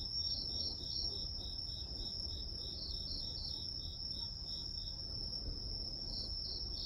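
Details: Chorus of insects used as white noise, one caller giving evenly spaced pulsed chirps about four per second above a constant high-pitched ringing trill, with soft low-frequency hum underneath.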